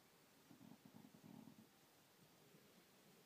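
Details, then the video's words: ['A dog named Gypsy growls: a low, pulsing rumble that lasts just over a second in a quiet indoor setting, then falls away to faint background hiss.'] "gypsy growl"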